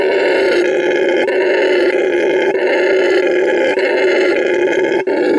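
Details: A male red howler monkey at La Senda Verde Animal Refuge, Bolivia, shows his vocal stamina with a deep, rasping roar that rolls on without a break.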